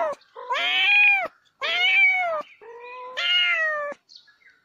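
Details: Pet cat meowing: a short rising chirp leading into three drawn-out meows, the last starting lower and stepping up in pitch, with brief pauses between calls.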